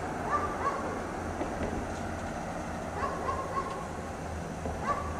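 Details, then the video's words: A dog left chained outside in cold snow all day, barking at a distance: short sharp barks in small bursts of two or three, over a steady low rumble of background noise. "Dog Barks all day in the snow"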